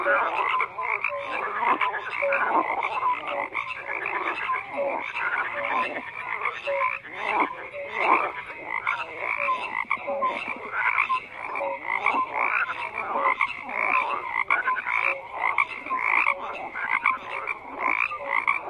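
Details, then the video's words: Many frogs croaking together in a dense, continuous chorus: overlapping raspy, pulsing croaks mixed with short bright whistled notes, steady throughout with regular surges in loudness, no other sounds standing out. "FROGS CROAKING"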